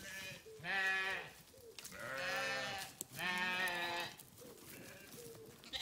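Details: Sheep give three loud, long, quavering bleats in quick succession, each about a second long, with quieter higher calls between them.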